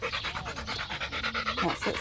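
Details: Macho, a male Rottweiler, pants quickly while playing fetch with a ball: rapid, breathy pulses in a steady rhythm, with a person's voice faintly in the background.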